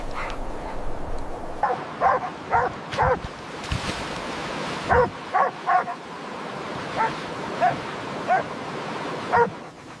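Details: Puppies at play with baby rabbits on green grass outdoors give short, sharp yips in pairs and triplets, separated by pauses of about a second, over a steady rushing background noise.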